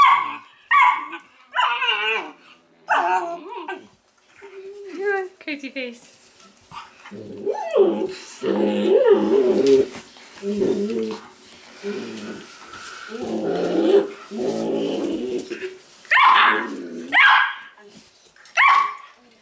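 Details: Weimaraner pups of Indigo and Magnum, kept indoors, give a run of short, rising-and-falling whimpers and squeals in the opening seconds, followed by a stretch of people speaking and later more brief yelps.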